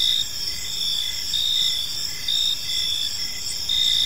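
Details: Evening park crickets: continuous shrill chirping from several insects, pulsing in short bursts over a constant high whine, with nothing else standing out.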